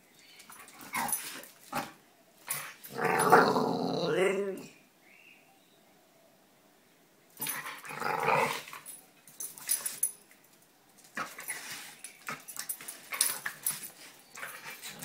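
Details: Two pet dogs, Roxy and Sofie, playing together: a loud rough growling burst around the third to fifth second, further scuffling growls and rustling later, with quiet gaps between, and a short human voice.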